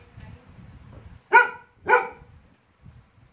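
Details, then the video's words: Pet Labrador Retriever barking in anger after being bothered by a small toy, two sharp harmonic barks about half a second apart, then quiet with faint low rumbling. "Labrador Laizaqueen ko aaya gussa"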